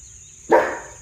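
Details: Household German Shepherd alerting to an unexplained sound: a single low, gruff bark with a short fading tail, over a constant high-pitched hum.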